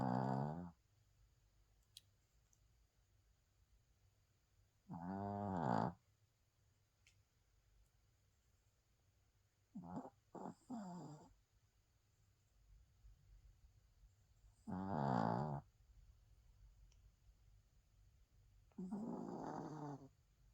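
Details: A sleeping Spitz dog snores indoors: five rasping, harmonic bursts, each under a second long and about every five seconds, one split into three quick snorts, with near silence between breaths.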